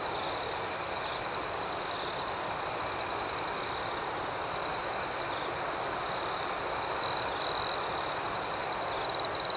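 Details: Crickets chirping at night: a steady high, shrill trill with a second layer of rhythmic pulsed chirps about four per second, and a louder, purer trill bursting in near the end.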